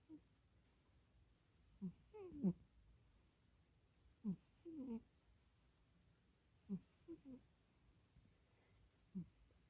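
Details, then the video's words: Kkomi, a pet cat asleep indoors at night at a person's feet, snoring: low, rough, grunting breaths in short bursts repeated roughly every two to three seconds, in a quiet room. "고양이 코고는 소리 들어 보실래요?"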